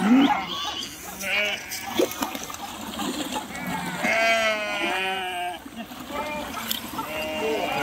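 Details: Sheep crossing a river by swimming; several trembling, drawn-out bleats with a shaky vibrato come through splashing water and a steady background rush.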